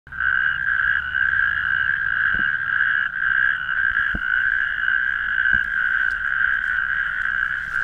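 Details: Natterjack toads calling loudly, a dense continuous rattling trill centred in the mid range with a strong overtone, several overlapping callers forming an unbroken chorus, a few faint clicks in the background.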